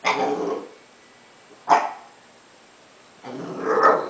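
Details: An 11-week-old Basenji puppy playing on its first day home gives three rough, noisy vocal bursts: a half-second one at the start, a short sharp one near the middle, and a longer one toward the end, with quiet between them.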